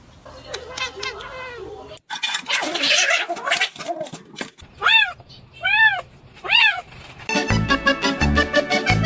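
A kitten gives three rising-then-falling meows in quick succession, with background music and human voices.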